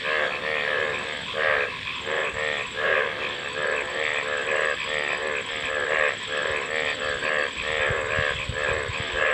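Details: Overlapping frogs give grating, ratchet-like croaks in rhythmic bursts under one second apart, forming a continuous chorus with a faint steady hiss behind.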